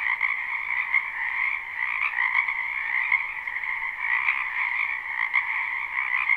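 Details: Frogs crowding a spring wetland croak together in a live, unlooped recording: a dense, ringing trill chorus with frequent louder individual pulses popping out irregularly, several per second, over the constant drone.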